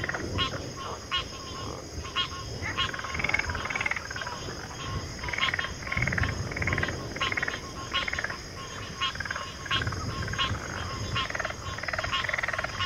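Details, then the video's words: Frog chorus with pig frogs and water frogs in backwater: dense overlapping croaks and pulsed calls repeating roughly every half second, layered over a steady high insect-like hum and low rumbling background. "FROGS - Pig Frogs, Water Frogs, Backwater Chorus, & Frog Chorus"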